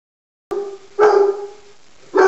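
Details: Bella, a Black and Tan Coonhound kept as a pet alongside a Miniature Pinscher she treats like a raccoon, gives sustained baying howls with a steady low tone and rich harmonics, one long note followed by a louder second onset.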